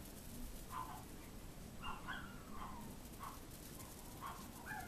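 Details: AKC Chihuahua puppies, a short-haired fawn and white male and a long-haired white female with fawn spots, playing outside on a warm February day; short high whimpering yips come in scattered bursts over a steady background hiss.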